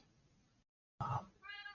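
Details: A female Siamese cat gives a loud, drawn-out meow with a clear tonal quality indoors during a conversation.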